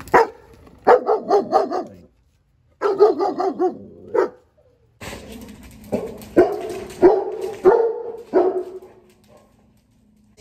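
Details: Six-and-a-half-month-old male German Shepherd in training, brought in for overexcitement and loudness in new places; loud barks in rapid bursts of three to five, with pauses between volleys and a man's voice partly overlapping.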